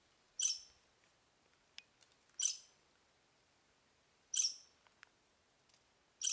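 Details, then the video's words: A squirrel met on a hike chirps at the person recording, giving sharp, harsh chirps repeated about every two seconds. "Squirrel chirping"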